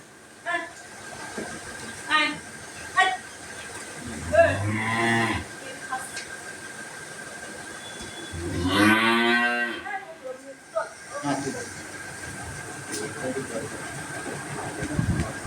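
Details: Dairy cow on a farm, offered for sale, gives two drawn-out, low, harmonic moos about four seconds apart, with brief short calls between and people talking in Bengali plus a steady background hum.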